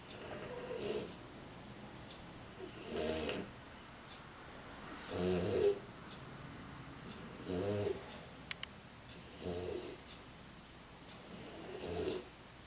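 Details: A tired female French Bulldog snores in a steady rhythm, each rasping breath about two seconds apart.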